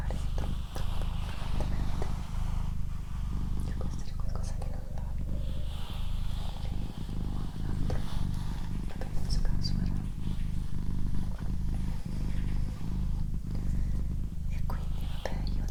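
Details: Continuous low, even purr from Doroti, a female house cat, while a person whispers softly nearby; the rumble holds steady under scattered faint rustles and mouth sounds.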